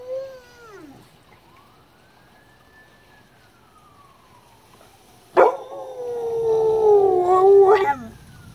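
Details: Elderly dog, eleven years old, 'singing' at home alongside another dog aged seventeen; after a faint falling tone and long quiet glide, a loud sustained harmonic howl starts abruptly, wavering slightly and sliding upward at its end.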